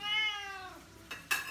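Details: Oriental Shorthair cat indoors at dinnertime, begging for food, especially chicken: one long harmonic meow that starts high and slides downward over half a second, followed by the clink of dishes and cutlery.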